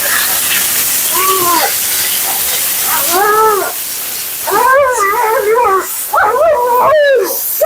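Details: Vocal female Siberian Husky named Mila 'talking' while being groomed, her second-ever groom: a series of arched, howl-like yodels rising and falling, growing longer and more wavering toward the end, with steady hiss of water or blower behind.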